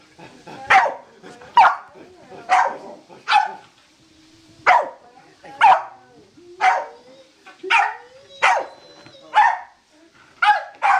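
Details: An excited Corgi playing "laser" gives sharp barks, roughly one each second, with brief pauses between bursts.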